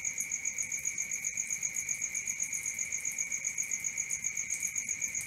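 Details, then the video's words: Crickets chirping at night: quick, regular pulses about four to five per second riding on a constant shrill two-pitched ring, unbroken across the short stretch. "Cricket 1 hour for Sleeping & Relaxation"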